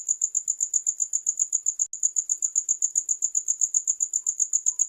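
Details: Shrill cricket pulses, fast and evenly spaced at about four per second, briefly dropping out for a moment before resuming the same steady high chirping.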